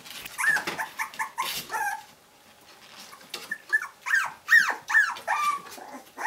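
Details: Five-week-old pedigree Bichon Frise puppies crying in high, whining yelps that bend up and down in pitch, coming in quick bursts of two or three a second, with a short quiet gap after about two seconds.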